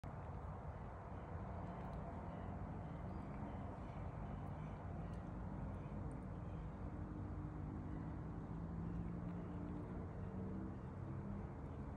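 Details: Low steady engine-like rumble with faint tonal hum lines throughout, no animal voice audible.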